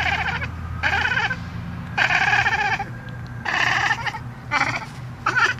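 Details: A lynx hybrid cat gives a series of short, strained, bleating calls in quick bursts, a noise he makes every time he sees a bird in his yard.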